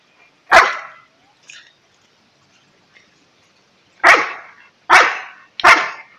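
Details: Alaskan Malamute, a pet dog, giving loud sharp barks: one bark, a long pause with faint small sounds, then three quick barks in a row near the end, each a broad burst fading fast, against a quiet background.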